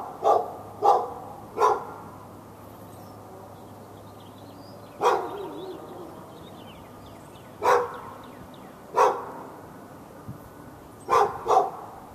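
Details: In Raleigh, North Carolina, a fenced dog barks at a neighbouring dog through a February 2012 morning; about nine abrupt barks, clustered at the start and end with a quiet stretch between, and faint bird calls underneath.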